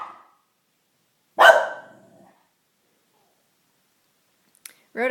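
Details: Pet dog Junebug giving one sharp bark in reaction to sounds outside, with a brief spoken fragment at the start and another voice near the end.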